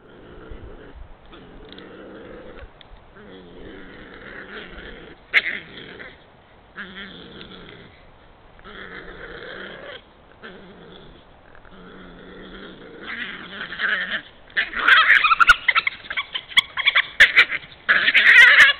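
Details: Badgers quarrelling in Puszcza Zielonka forest on 11 March 2022: rough, throaty churring bursts with layered harmonics, each lasting about a second and separated by short gaps, building into loud, harsh, squabbling screeches over the final six seconds.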